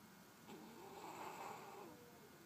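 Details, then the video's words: One soft, wheezy snore from Charly the puppy while he sleeps: a long nasal breath with a thin whistle running through it, then quiet. "Puppy snoring while sleeping"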